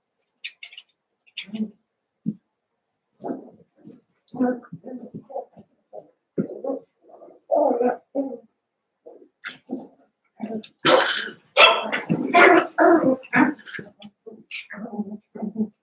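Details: Eight Cavalier King Charles Spaniel puppies, Daisy's six plus Robin's two, playing during their last days with their breeders, give rapid overlapping yips, squeals and grumbles that build to a dense noisy burst before tailing off.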